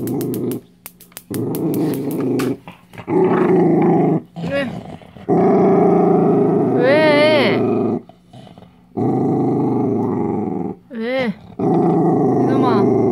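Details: Dachshund growling while guarding a dog chew: long, rough, low rumbling growls in sustained bursts of one to three seconds, broken by short pauses, with a person talking in Korean and brief high whines between.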